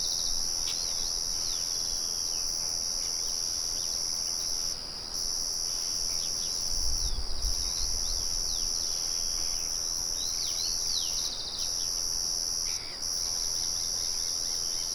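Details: Crickets keep up a high, even, buzzing trill with a handful of brief silent breaks. Bird chirps are sprinkled throughout, and a low rumble swells around seven seconds against the background murmur of a mill.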